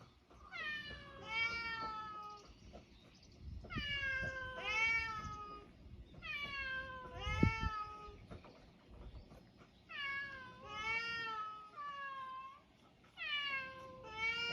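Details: Island cats, mixed-breed, meowing: a run of about six drawn-out, wavering meows, each roughly a second long, with short quiet gaps between them and faint low rumbling in the background.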